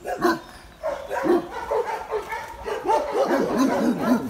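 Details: Anxious barking from Benno, a shelter dog in Biberach, Germany, that a former owner called a Landseer. He is fearful of a stranger. Hoarse, uneven barks come roughly twice per second, some rising into higher yelping tones.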